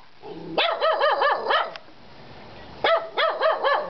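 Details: Three pet dogs barking: two bursts of rapid, harmonic barks, about four per second, the first burst preceded by a short whine, separated by a quiet gap.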